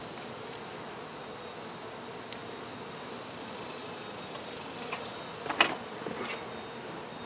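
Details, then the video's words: Honey bees during the removal of a hive: a steady low hum from the swarm, with a few sharp clicks and knocks near the end. "Honey Bee hive Removal"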